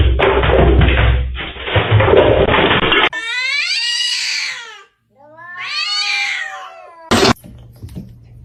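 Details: A kitten gives two long, drawn-out meows, each rising then falling in pitch, after a burst of loud noise.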